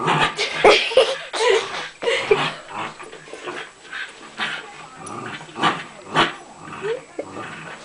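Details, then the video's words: An angry dachshund snapping out short, sharp yips mixed with rough growls in irregular bursts, some high and some lower, with a brief human voice between the outbursts. "Angry Daschund"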